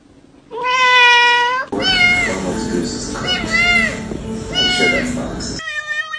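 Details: Cat meowing repeatedly: a clear sustained cry, then a run of shorter bent meows over murmuring voices and soft background sound, ending with another steady meow.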